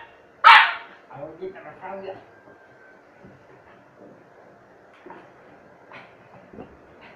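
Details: Hungry Chow Chow puppy giving one sharp, loud bark followed by softer, scattered yips and whimpers, with a person talking quietly nearby.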